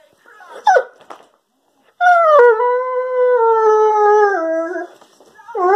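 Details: Doodle, a male Weimaraner and German Pointer cross dog, 'talking' in his everyday monologue: a brief yelp, then a long, sustained, tonal howl-like moan that slides gradually lower and ends with a rising whine.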